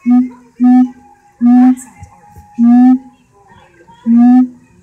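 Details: A siamang (Symphalangus syndactylus) at Alexandria zoo gives loud, steady hooting notes, each a strong horn-like tone repeated about once a second.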